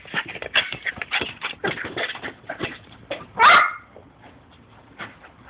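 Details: Lucy, an 18-month-old female chocolate poodle, playing football with a ball. Rapid pattering and scrabbling thuds, then a single loud, short yip with a bending tone, followed by quieter tapping.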